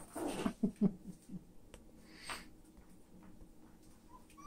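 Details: Female toy poodles playing with toys indoors, one pulled around by her tail; three quick low growl bursts open the stretch, then it quiets to soft rustling and faint household noise.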